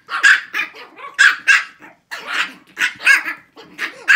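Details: Six-week-old Shih Tzu puppies in a barking contest give high, sharp yappy barks in quick bursts, about ten yips over four seconds with short gaps between them.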